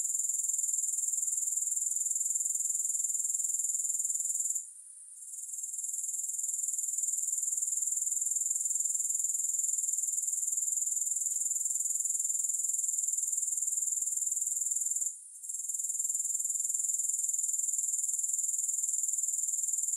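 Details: High, rapid pulsed trilling of grasshoppers, continuous and even, broken by two short lulls, a longer one around five seconds and a brief one near fifteen, before returning unchanged; no music.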